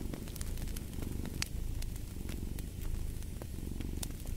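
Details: A cat's deep rumbling purr under the frequent snapping and popping of a crackling fireplace, the throb rising and falling with each breath.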